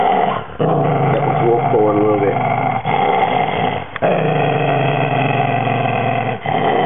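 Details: Maltese terrier guarding his bone: steady, rough low growling sustained through most of the stretch, with brief breaks and a rising snarl, under a constant loud background hum.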